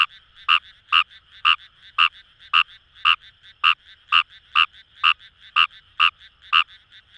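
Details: Kawamura's rice frog, wild, in paddy fields of Itoshima's Kamo River area, Fukuoka, Japan: a steady string of about twelve crisp, bright croaks, roughly two per second, set against a quiet background chorus.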